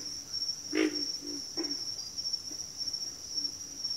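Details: Frogs in a backwater chorus: one loud guttural grunt, then two softer grunts within a second, with a thin continuous insect whine overhead.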